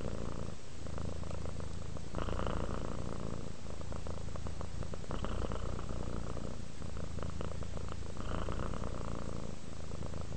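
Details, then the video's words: Relaxed cat purring without pause, a steady low rumble that swells and eases with each breath about every three seconds across ten seconds. "Cat ASMR, Sleep while Purring Cat Relaxes"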